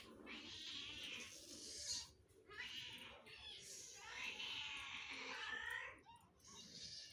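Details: Several cats calling for food with drawn-out, raspy, wavering meows, one after another with short gaps, against steady background hiss and faint low noise.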